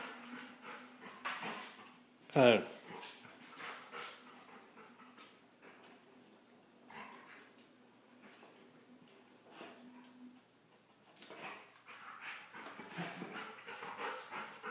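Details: Big dog and little dog playing rough indoors; a single sharp, loud yelp with rising and falling harmonics stands out among quieter scuffling, soft growly tones, and a person calling the dogs and saying it is too rough.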